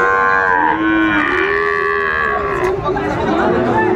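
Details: Sahiwal bull calf at a cattle market, drawn-out lowing moo with stacked harmonics that slides gently in pitch, over steady crowd chatter and market noise.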